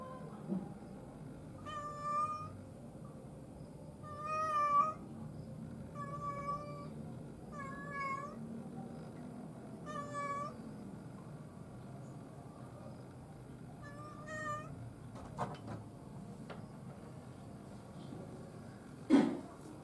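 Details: Domestic cat greeting with a string of six short, tonal meows spaced irregularly over twenty seconds, each a clear harmonic call, over a low steady indoor hum, with a sharp clatter near the end.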